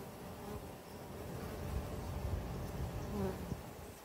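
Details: Western honey bees from urban hives kept at a restaurant site in Ontario make a low, steady droning hum.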